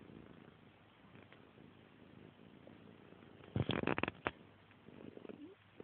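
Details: Fluffy, a female pet cat, purring indoors: a soft low rumble, then a short run of loud, rapid rhythmic pulses near the middle before settling back to a quieter, uneven murmur.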